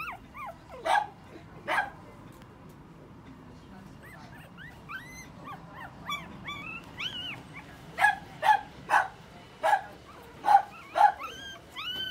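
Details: Male puppy, recorded 1 December 2020: a string of high, thin whistled whines with bent, rising-falling pitch, broken by sharp yips that come in bursts roughly every half second to second.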